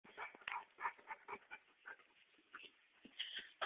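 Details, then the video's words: Dog being massaged, making very strange noises: soft, choppy bursts of whining and grunting that come in uneven clusters, with short quiet gaps between them. "Dog making strange noises"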